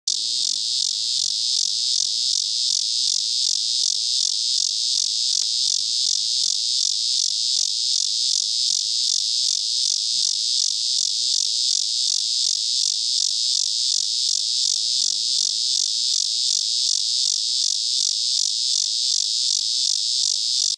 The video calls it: A Cicada Singing